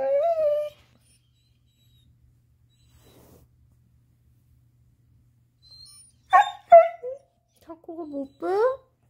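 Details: Chaco, a black Labrador-Coonhound mix female, vocalizing while getting her ball out: a steady whine, quiet gap, then a burst of yips and rising whimpers.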